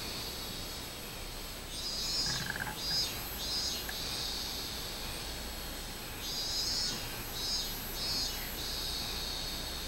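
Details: A minmin cicada's summer song, recorded 24 July 2016: two bouts of high, pulsing buzzy notes, each lasting about two seconds, with a fainter lower buzzing insect underneath and a constant noisy background.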